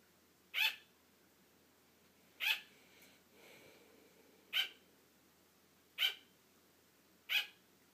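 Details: A female pet sugar glider barking so her sleepy owner keeps playing; five crisp, short yaps one to two seconds apart, with a soft rustling sound between the second and third.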